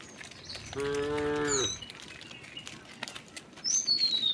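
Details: Herd of tame cows and oxen walking toward their resting place along a road; one short harmonic moo ending in a falling tail, followed by high descending bird whistles and scattered clicks.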